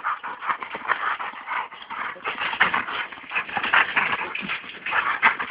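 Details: Training session with American Staffordshire Terriers Brunó and Shába: rapid, rough yelping barks and whimpers tumble out in uneven bursts, bright and harsh, a few louder peaks near the end, with no voices in the foreground.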